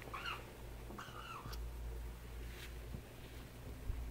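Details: Two small meows from 4-week-old kittens playing, thin arching calls rising and falling, the first near the start and the second about a second later, followed by faint clicks and rustling over a low steady hum.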